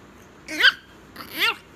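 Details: A Chihuahua at bedtime gives two short whining yelps about three-quarters of a second apart, each a quick rising-then-falling harmonic squeal, in a quiet room.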